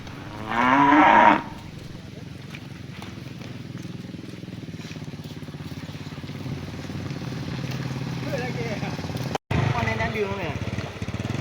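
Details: Herded cattle returning to their barn in the afternoon, one cow giving a loud harsh moo to call its companions, followed by quiet rural background with faint rustling and a distant motor.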